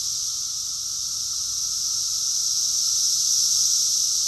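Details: Rockville, Maryland, USA, June 2021: a summer chorus of cicadas fills the air with an unbroken, high-pitched sizzling buzz that strengthens slightly over a few seconds.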